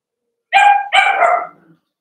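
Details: Cavalier King Charles Spaniel puppies at play in an indoor home puppy pen. Two loud, yappy barks follow each other closely, the second longer and fading out, with silence around them.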